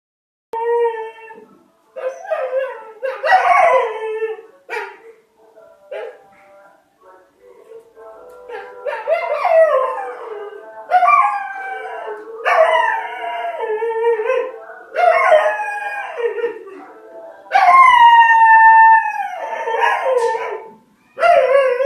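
A dog howls in long, wavering, song-like phrases that slide up and then fall away.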